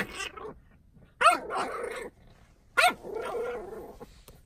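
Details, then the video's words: Playful French Bulldog puppy in a goofy mood, giving two sharp barks about a second and a half apart, each trailing into a raspy growling rumble, inside a small room. "Frenchie Turns into a Gremlin"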